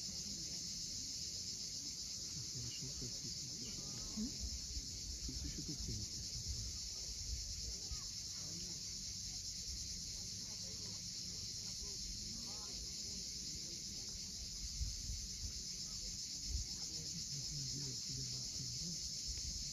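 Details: Sunset on Crimea's steep Cape Fiolent coast, where cicadas keep up a continuous high, even buzzing drone the whole time; sea waves wash underneath with a few soft low knocks.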